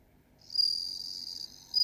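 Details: Meloimorpha japonica, the bell cricket, giving a high, pure, ringing trill that begins after a short pause, sustains, softens briefly, then returns louder.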